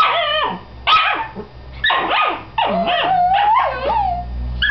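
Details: Two dachshund sisters squabbling over who gets to be inside a tee pee: a rapid run of loud, high, sliding yips and whining barks in several bursts, some notes bending down sharply, others wavering and drawn out.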